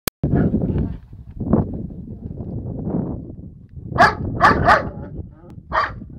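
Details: Tibetan Mastiff giving a burst of harsh, ringing barks: three in quick succession past the midpoint, then a single bark near the end, over a steady low rumbling background.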